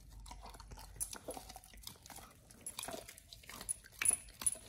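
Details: Raw ostrich paw being chewed by Oliang the Pit Bull on his first try, a snack for healthy teeth and jaw exercise. Quiet moist crunches and bites come at uneven intervals, with a few sharper cracks near the end.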